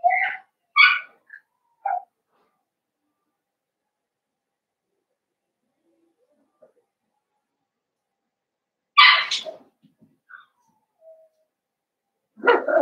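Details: Young blenheim Cavalier King Charles Spaniel puppies from a litter of five born at New Year's, kept in an indoor puppy pen: a cluster of sharp high yips and squeaks at first, long quiet, then more yelps later.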